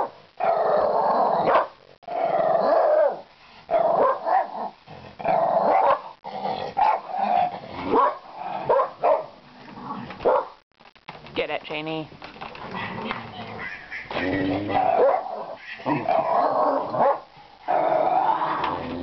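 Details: Domestic dog at play around a laundry basket holding a toy; choppy bursts of growling and throaty vocalising, uneven in length, broken by short silences and shifting in pitch.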